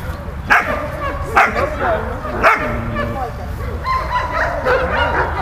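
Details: Three loud, harmonic-rich barks about a second apart from Malta, a dog playing with Bulat, followed by quieter whining and yipping tones in the last two seconds.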